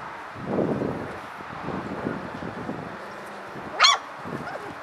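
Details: Hungry puppies playing, with soft low whines and grumbles, then one sharp high yip near the end; steady background noise throughout.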